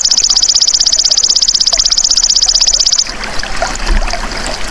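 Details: Golden grasshopper sound meant as masteran to train songbirds: three seconds of sharp, evenly spaced high clicks form a fast buzzing trill. It stops abruptly, leaving faint rustling and trickling ambience.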